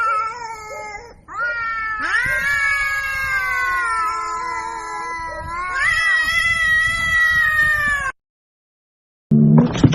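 Cats yowl in long, wavering, moaning wails during a fight.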